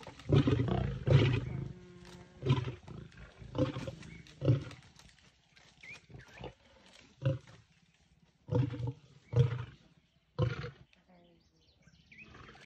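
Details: South African scene of a lioness in a tree with impala remains and a lion trying to climb up for a steal; scattered deep growls and snarls in short bursts separated by quieter pauses, softer toward the end.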